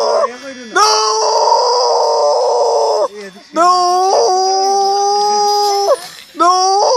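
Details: Repeated dog howls, each lasting about two to three seconds with a short dip between them. The tone is steady and mournful, and each howl sags slightly in pitch before it ends.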